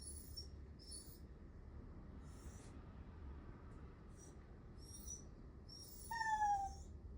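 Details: A pet Miniature Dachshund named Nel whines plaintively for affection. A single clear, thin cry near the end slides downward and is the loudest moment, preceded by soft rustling bursts over a constant low hum.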